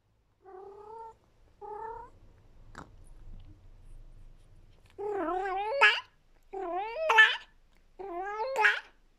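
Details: Oskar, a female Persian cat, howls with delight while eating a delicious treat, a sound she makes only when no one is around. Six harmonic, wavering yowls: two short, soft ones, a click, then three louder, longer, rising-and-falling howls.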